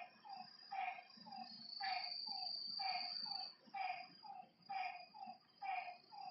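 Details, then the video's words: Lakeside frogs at night give clipped, mid-pitched croaks, some doubled, about one per second, while crickets keep up a continuous shrill trill overhead. "Lakeside night creatures and frog sounds"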